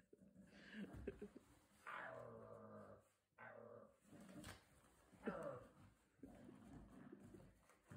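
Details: Border Terrier puppy settling in and making himself comfortable indoors at his new home, giving two drawn-out, harmonic whining groans that slide downward in pitch, with soft rustling and quiet room noise between them.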